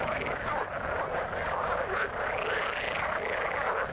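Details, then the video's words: A thick frog chorus in the water: many overlapping croaking and trilling voices blend into a steady mid-pitched wall of sound, with brief higher chirps scattered on top. "Frog sound in the water"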